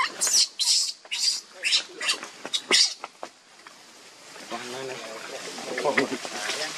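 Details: A newborn baby monkey, said to have fallen into a hole in rock, gives a run of shrill, piercing cries, followed by a person talking.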